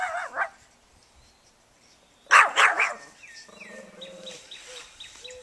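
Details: Banjo the dog barking at a lawnmower: a short yelp, a pause, then three loud, rough barks in a row. A low buzzing drone and a few thin whistly tones follow.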